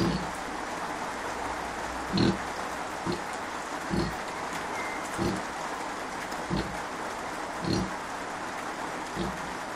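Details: Short, low pig grunts spaced one to two seconds apart come from Kunekune sow Bella, still feeding her five-day-old piglets while poorly, under a constant rain-like hiss.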